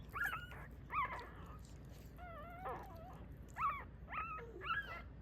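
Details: Small Mame Shiba dog giving soft, quavering whimpers, short wavering squeals and a few lower moaning notes, the cries coming in clusters over a low steady room hum.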